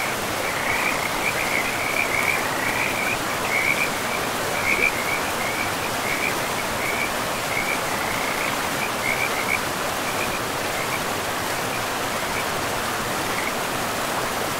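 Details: Frogs by a river in a pristine forest give short, rattling high calls in quick irregular bursts for most of the stretch. A steady, loud rush of flowing water fills the background throughout.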